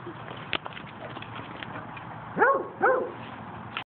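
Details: Pet Basset Hound howling, recorded on an Android phone: two short, rising-then-falling vocal bursts about half a second apart in the latter half, over a steady background hiss and a couple of sharp clicks.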